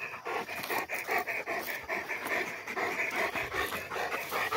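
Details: Rottweiler panting during a descent from a tower with two Rottweilers: quick, even, airy breaths repeated about two and a half times per second, loud and unbroken across the whole stretch.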